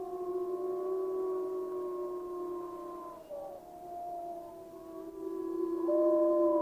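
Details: Pack of gray wolves howling in Yellowstone National Park, several steady drawn-out tones held together in chorus, one voice sliding downward midway before the group swells louder again.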